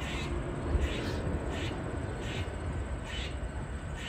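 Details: Grey squirrel barking while snapping its tail in a tree in a yard, a distress call given when a predator such as a dog, cat or person is nearby. Short harsh bursts repeat roughly twice a second over steady low rumbling background noise.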